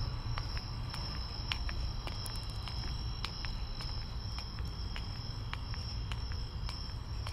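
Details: Crickets calling at night, heard on a walk to the store: a steady, unbroken high trill runs through the whole stretch, with regular footstep clicks on top and a deep low rumble of outdoor background noise.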